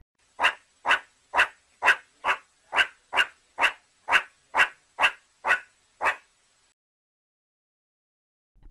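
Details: Meerkat (Suricata suricatta), barks.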